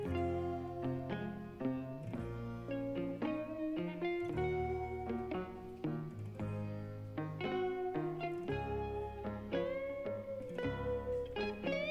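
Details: Plucked guitar and string music plays throughout with no animal sounds.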